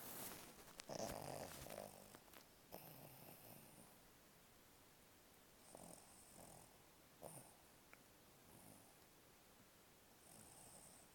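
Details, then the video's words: Dog in a deep sleep lying on a bed, twitching: soft, snuffly snores and breathy hisses recurring every second or two, the loudest near the start, then quieter, irregular breaths. "Dog snoring and twitching"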